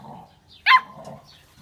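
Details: Chocolate Labrador Retriever puppies, 59 days old, playing during socialization games in Olivares, Seville, Spain; a single short, bright yelp-like bark rising sharply then falling, over a low background murmur.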